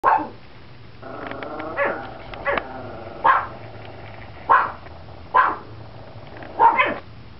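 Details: Chihuahua standing in a bay window barking at a crowd at the school bus, while a second dog barks from the floor; short sharp barks recur roughly every second, with a few tighter double barks between them.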